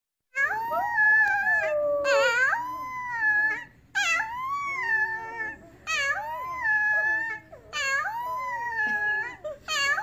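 A young wolf gives high, wavering howls in short bouts, each sliding up and down in pitch.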